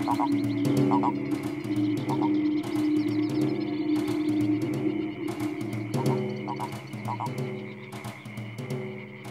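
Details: At dusk on a farm in Sologne, France, courting frogs and toads sing a dense chorus of overlapping croaks, with short pulsed notes repeating several times a second over a steady low hum.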